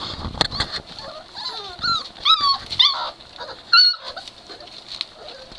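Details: Three-week-old Great Dane puppies from NormaJean's litter at play: a quick run of high, squeaky whimpers and yelps with bent, rising-then-falling tones, about eight cries in five seconds, over a steady background hiss.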